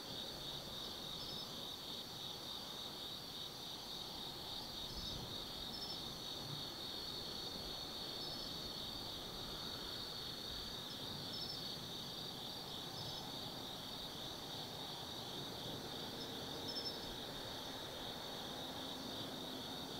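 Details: Many insects trill through an autumn night at the Tsukimi no Mori lookout, Gifu, Japan, 180 m above the lit Nobi Plain; pulsing high chirps form a continuous wall of sound, with low vehicle rumble from the plain below.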